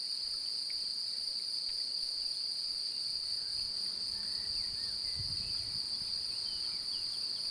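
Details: Courting male cricket, a female nearby seemingly interested, singing by opening, closing and rubbing his forewings against each other. A continuous shrill trill holds one high pitch without pause, with a brief low thump near the end.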